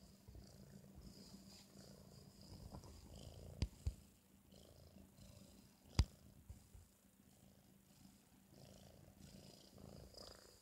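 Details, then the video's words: Sleeping four-month-old British Shorthair cat after eating, giving quiet, low rumbling snores in slow, uneven breaths, with a couple of sharp clicks from the room. "ブリティッシュショートヘア４ヶ月 いびきがすごい件"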